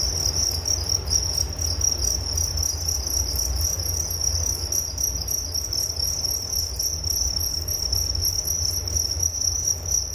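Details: Crickets chirping in a steady, dense high-pitched trill that holds one bright note throughout, with fainter higher shimmering bands above and a constant low rumble underneath.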